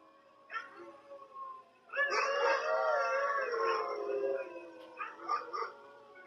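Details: Cherub, a pet Yorkshire Terrier learning to howl on command through shaping training, gives a wavering, harmonic-rich howl of about two seconds after some quieter sounds.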